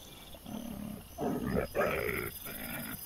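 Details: Wild boar piglets recorded by trail camera on 12 September 2024 give harsh, drawn-out squealing grunts, a softer one first and then two loud rasping bursts back to back, before fading to a low murmur.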